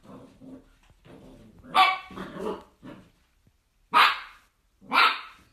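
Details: Miniature dachshund at play: low grumbling growls build into a few sharp, loud barks, the last two spaced about a second apart.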